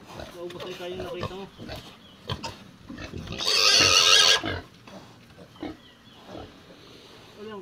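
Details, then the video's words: Single harsh, noisy squeal about a second long from a raised native pig, set among men speaking and low background clatter. "Native Pig"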